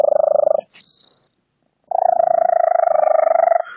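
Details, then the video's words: Unusual purring from a female pet cat, ongoing for about five months and likened to a lizard or bird, phone recording: two bursts of fast, buzzy pulsing at a steady mid pitch, the second nearly two seconds long, separated by a quiet gap. "Crazy purring cat"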